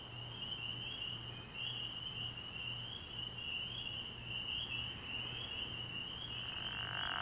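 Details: A night chorus of many spring peepers at a frog pond in early spring, their high peeps blending into one continuous shrill band that swells slightly toward the end, over a faint low hum.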